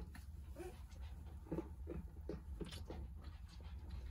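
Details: Jindo puppies named Somang, Haneul and Saetbyeol, heard as soft, breathy panting puffs in an uneven quick run, quiet and close over a steady low hum.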